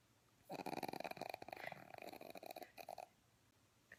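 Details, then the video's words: A pug's rough snore made of rapid fluttering, rattling pulses, loud and grating for about two and a half seconds, with a brief final snort before quiet breathing. "개가 이런소릴 낸다고? (강아지 코골이, 퍼그키우는이유)"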